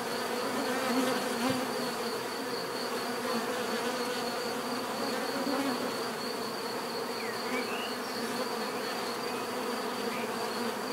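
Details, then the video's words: Natural buzzing of many bees: a continuous, even drone with stacked humming tones and a sustained high whine, small bird chirps surfacing faintly near the end, no breaks in the sound. "bees therapy relaxing natural buzzing sound"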